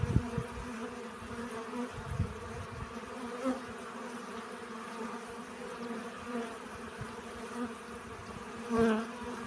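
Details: Honey bees collecting pollen hum in a steady, low drone, with one bee buzzing louder as it passes close.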